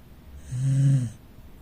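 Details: Rescued Corgi asleep in the living room snoring: one low, rumbling snore swelling and fading over about half a second, between quiet breaths.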